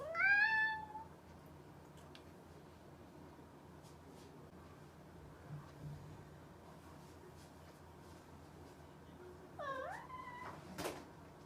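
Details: Playful house cat with one short rising meow at the start, then a long hush broken by faint clicks, before a second bent, wavering meow and a sharp knock near the end.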